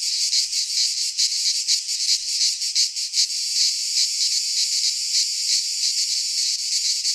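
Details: Midsummer cicada chorus from a pine forest in Greece, a loud high shrill buzz throbbing in uneven pulses roughly two to three per second, unbroken throughout, with a faint low rumble beneath.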